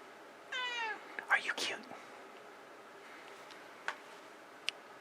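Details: House cat indoors with its owner asking it to meow quietly: a brief, soft, descending meow, followed by the owner's murmured speech and a few faint clicks.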